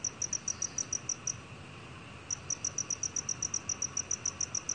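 A black field cricket sings a steady, high, clear pulsed chirping that stops briefly and then resumes.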